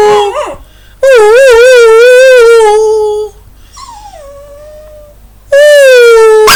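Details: Dog howling along as a person sings: long, loud, wavering howls held for about two seconds each, sliding and quavering, with a lower descending whine between them and a new howl starting at the end.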